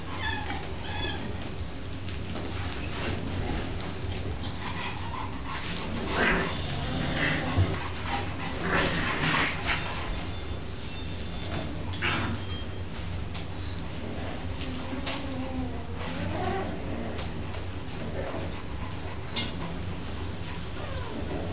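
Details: Dog named Bronx at play with pups, giving scattered short whimpers and thin yips with quick wavering pitch, mixed with bursts of scuffling and rustling over a constant low background hum.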